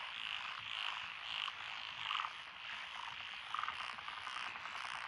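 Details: Steady trilling chorus of frogs from lotus paddy fields in Echizen, Fukui Prefecture, June 2021, with brief bright chirping notes popping out of the din every half second to second, some higher, some lower.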